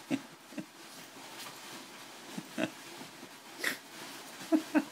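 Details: A Boston Terrier playing excitedly in a bean bag chair makes brief, wheezy snorts and piggish grunts, spaced irregularly and some in quick pairs, over a soft, steady rustling.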